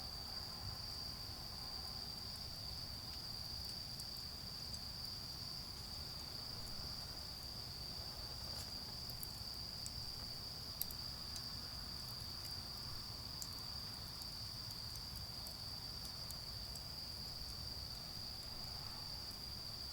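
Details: Garden bonfire at night with autumn insects singing: one constant, piercing trill at steady pitch runs through, with scattered crackling snaps from the fire and a murmur of low background noise.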